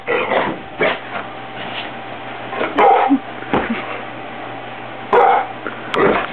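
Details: Indoor pet dog reacting to pillows being fluffed, which it dislikes: a few separate short barks spaced several seconds apart, one near the start and others around the third and fifth seconds, with quiet room noise between.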